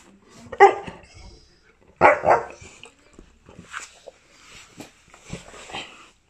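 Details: Chocolate Labrador Retriever being coaxed for a kiss indoors: two short, sharp barks about one and a half seconds apart, then quieter scuffling and a person speaking.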